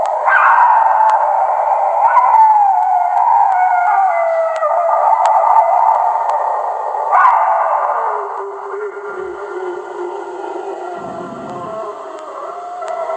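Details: Wolf howling, from a set billed as the world's ten scariest wolf howls: long, sustained wavering tones with layered overlapping voices, a fresh rising howl starting midway, then fading lower.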